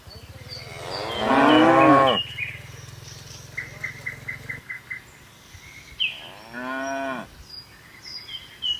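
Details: A herd of tame cattle hopping down a hill on a mountain slope, with a loud wavering moo followed by a shorter falling one, and a series of small bird chirps between them.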